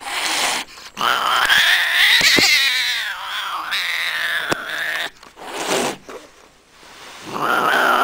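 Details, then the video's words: Domestic cat from a cat fight compilation: shrill, rising screeching wails repeated in several bursts, with brief gaps and sharp knocks between them. "the best funny cat fight videos"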